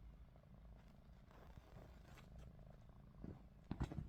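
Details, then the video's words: Low, steady rumbling snore from Ruby, a house cat asleep with eyes open, quiet and even, ending in a few sharp handling clicks. "루비 눈 뜨고 코골이"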